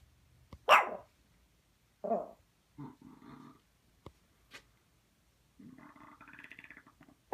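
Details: A pet dog in a play stance, rear raised and tail wagging, gives a sharp bark, then low growly grumbles in short bursts, ending with a longer rumbling growl-whine; quiet gaps and clicks between.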